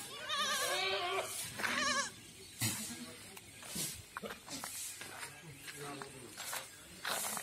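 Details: Farm goats in Rajasthan, India, giving quavering, wobbling bleats in the first two seconds, followed by scattered knocks, shuffling and faint human voices in the background.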